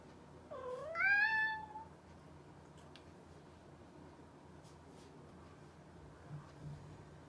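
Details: A mischievous pet cat gives a single rising meow, rich in harmonics and lasting about a second, followed by a quiet room with only faint background hiss.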